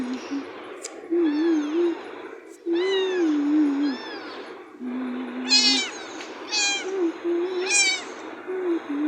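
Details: Cat meowing: drawn-out, wavering meows that rise and fall, then a run of higher, sharper meows in quick succession near the end, over a low steady droning tone.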